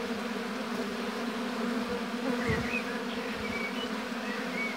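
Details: Steady droning hum of many honey bees at a hive in an apiary, with brief faint bird chirps sounding high above the buzz midway through.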